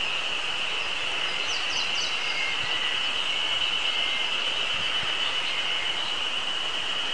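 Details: Ezo spring cicadas, just starting to sing on a mountain on 24 May 2019, give a steady, shrill, high-pitched drone over a soft background hiss, with Eastern crowned warbler and tit songs also audible.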